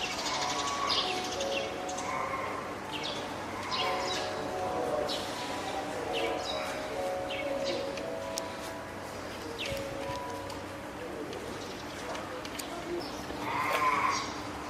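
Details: Female spotted seal pup, born 19 April and hand-reared at Oga Aquarium, Japan, calling loudly on 9 May 2017, seemingly hungry, wanting to climb ashore or calling its keeper; drawn-out harmonic wails recur among splashy clatter and background noise.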